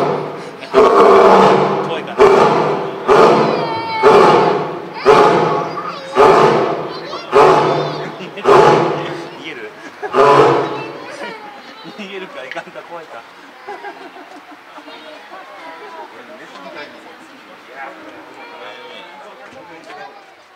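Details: At Higashiyama Zoo in Nagoya, eleven-year-old male lion Sora gives a roaring bout from his back room as crowds gather, June 2023: about nine heavy roars repeated roughly each second, shortening and fading, then excited visitor chatter continues.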